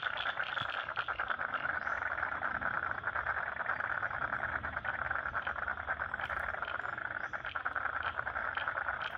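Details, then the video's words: Wetland frogs in Lane Cove National Park, Sydney, form a constant chorus of rapid rattling croaks from many callers, with a few sharper clicks standing out above the steady drone. "Frogs in Lane Cove National Park wetland"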